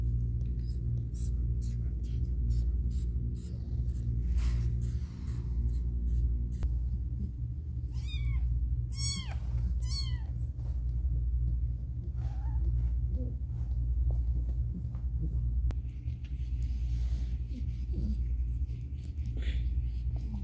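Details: While giving birth with difficulty, the cat Caramel lets out a quick cluster of three or four sharp, arched meows midway, with scattered clicks, faint rustling and a continuous low hum around them.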